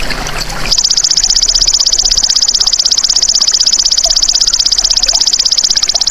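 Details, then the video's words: A golden grasshopper (belalang emas) recorded as masteran for caged songbirds: after a brief noisy lead-in, a piercing, high-pitched stridulating trill of very rapid even pulses begins and runs unbroken for over five seconds. "MASTERAN BELALANG EMAS"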